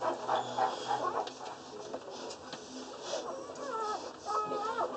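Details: Squeaky rising and falling whines from a litter of six Boerboel puppies, two male and four female, less than one day old at Jacob Boerboel Kennel; short tonal cries come in quick, irregular bursts.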